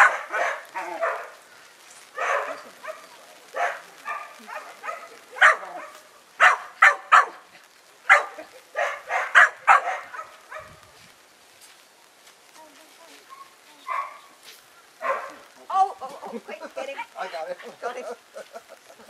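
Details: A working-bred Kelpie pup, five months old, on its very first day around sheep, gives sharp, loud barks in quick clusters, densest through the middle, then a quieter stretch with a few scattered yaps near the end.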